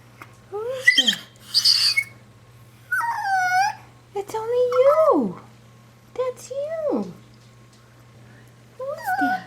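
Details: Indoors, a female puppy scared of her own reflection gives a series of short howling whines. Each one bends up then falls steeply, separated by brief pauses, over a constant low electrical hum.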